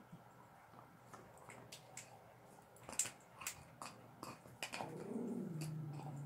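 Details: Two pet dogs, a Staffy and a whippet, gnaw sterilized bones on a bed indoors: sharp irregular crunches and clicks, then a low drawn-out grumbling growl rising over the last second.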